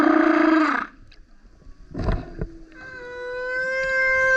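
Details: Loud singing male humpback whale beside a kayak: a harsh roaring unit, a short broadband burp-like burst, then a long pure whistled tone held steady to the end.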